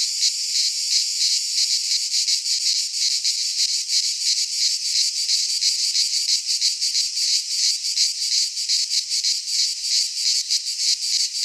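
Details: Cicadas of Greek fauna calling in a midsummer pine forest: an unbroken high, grating buzz with fast pulsing near three per second, steady loudness, no birds or voices.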